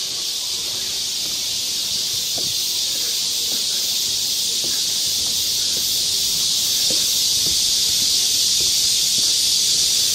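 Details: Cicadas singing in chorus in the forest of Galsan Park, Mokdong, Yangcheon-gu, Seoul, in midsummer: a dense, unbroken high buzzing hiss that stays steady and loud throughout, with faint low rustles beneath.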